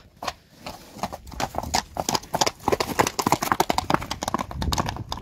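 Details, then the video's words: Friesian horses, mares moving about in a pasture, their hooves thudding in fast irregular clip-clop beats, several strikes per second, louder toward the middle, with rustling outdoor background. "All mares in the pasture for the last time! Friesian Horses."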